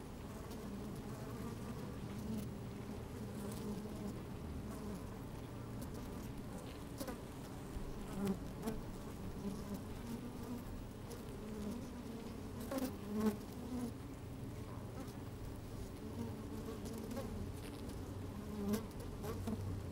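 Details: Honey bees moving about in an opened hive, microphone lowered inside, sunny and a little windy; a continuous mid-low drone with occasional brief rising buzzes and scattered tapping crackles.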